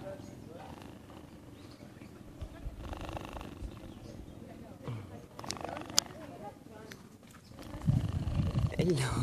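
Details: Young tame cheetahs purring: a low, steady rumbling pulse running through the clip, louder toward the end, while people speak and greet the animals close by.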